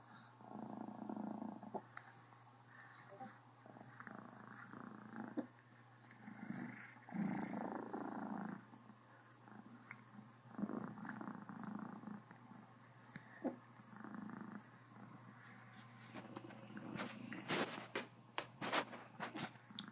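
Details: Criquette, a female Cornish Rex house cat, purring full-on while happy and hiccuping: rough rhythmic purr in swelling bursts of a second or two, with brief sharp clicks and rustles near the end.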